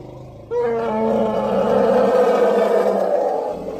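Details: An elephant gives one sustained, steady, harmonic roar. It starts abruptly after a low rumbling background and holds for about three seconds, without a break.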